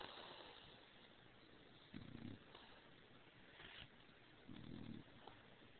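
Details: Stargazer Lily Rose, a female bulldog, snores while asleep after overheating under the covers; two low, rasping snore bursts about two and a half seconds apart, each lasting about half a second, over a quiet hiss.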